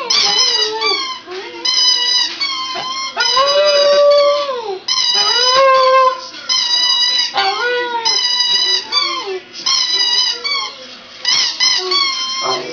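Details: A two-year-old Border Terrier that recently learned to howl lets out a long series of indoor howls. Wavering, rising and falling notes come roughly every two seconds, with short yips and whimpery breaks between them.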